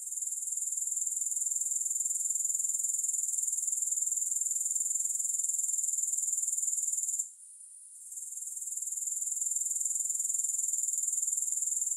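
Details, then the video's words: A dense, high-pitched pulsing drone of grasshoppers in a music-free recording. The pulses come quickly and evenly and the level stays constant for about seven seconds. It then cuts out for roughly a second and builds back up. "Grass Hopper Sounds"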